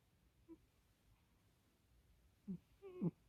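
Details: Kkomi, a pet cat, snoring while asleep at bedtime near someone's feet indoors: a faint low snort, then two louder throaty, nasal rasps close together near the end, over a quiet room.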